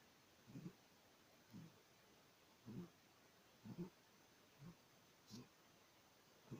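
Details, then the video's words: A six-month-old Maine Coon kitten snoring in its sleep: soft low snuffling snores about once a second, quiet against a faint indoor hiss, with a brief sharp click near the end. "Котенок Мейн -кун (6 месяцев) храпит Kitten is snoring"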